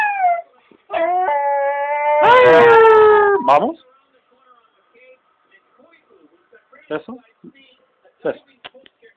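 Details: A singing Jack Russell Terrier howls in drawn-out, tuneful notes that slide downward, then trails off into soft whimpers, following applause.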